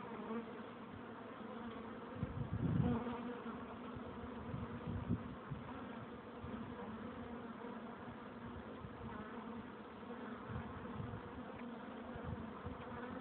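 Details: Continuous low hum of a crowd of honey bees at their hive entrance, steady and dense, with one bee buzzing loudly past early on before the even droning resumes.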